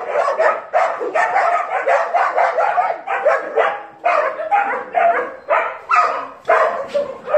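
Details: Several dogs barking, with dense, overlapping, harsh barks repeated roughly once a second throughout and no other clear sounds.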